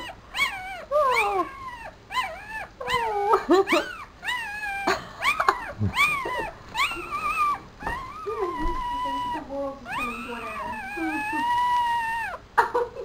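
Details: Tiny four-day-old Papillon puppy placed in a black dress shoe whines and squeals persistently: rapid arched yelps give way to longer, steady high cries that wobble slightly, with brief soft speech in the room.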